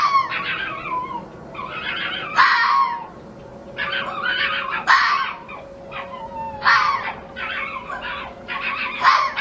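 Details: Fox at night giving wavering, whining yelps that slide downward in pitch, broken by sharper rasping yips every couple of seconds, over a constant low electrical hum.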